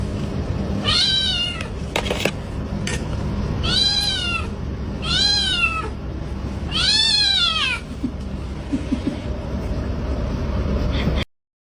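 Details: Housecat complaining to its owner with four drawn-out meows spaced about three seconds apart, each rising and then falling, over steady household background noise and a few faint knocks.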